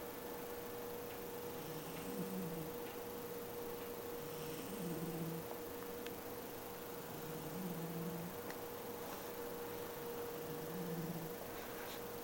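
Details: Kin-chan, a pet cat, snoring: low droning snores come roughly every three seconds, four in all, under a constant electrical hum and background hiss.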